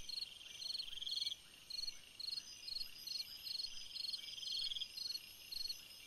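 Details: Cricket singing through a summer night, delivering rapid high-pitched chirps in steady series with short gaps, layered over a continuous shrill insect buzz.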